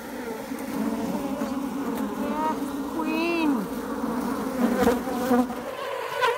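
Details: Droning honey bee swarm with a continuous low hum, overlaid by sliding voice-like tones and faint music.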